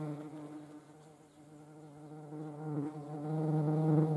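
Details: European hornet (Vespa crabro) in the Eifel, Germany: a steady low droning wing buzz with stacked harmonics, wavering slightly in pitch and swelling louder toward the end.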